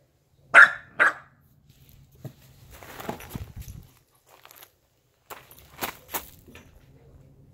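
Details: Corgi running around the yard gives two loud short barks in quick succession, followed by rustling, scuffling movement and a few fainter sharp sounds.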